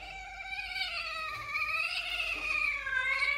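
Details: A kitten gives a long, drawn-out, wavering meow lasting over three seconds. The cry is steady and strained, with its pitch dipping and then rising again toward the end, in a quiet indoor setting.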